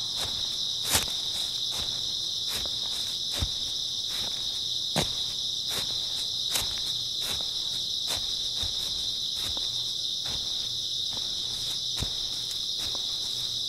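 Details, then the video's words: Grass insects fill an early autumn night with a constant shrill chirping drone, accompanied by intermittent footsteps crunching on the ground, a few louder steps standing out. "풀벌레 소리"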